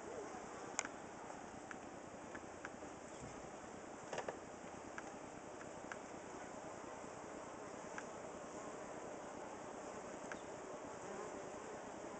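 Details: A honey bee colony in a squirrel box built of cedar lumber fans to keep the hive cool on a hot summer day, July 23, 2011. Continuous droning buzz with occasional sharp clicks and brief knocks.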